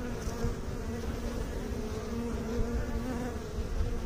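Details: Continuous droning hum of honey bees, an even, buzzy tone that wavers slightly in pitch, layered over a dense low rumble.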